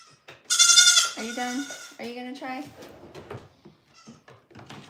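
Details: On a goat farm where kids are bottle-trained, a loud harsh cry is followed by two shorter, lower, wavering bleats, then quieter talking.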